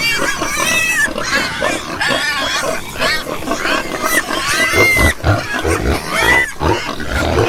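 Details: Many pigs grunting and squealing at once, coarse nasal grunts overlapped by sharp, whistled upward squeals that recur every second or so throughout.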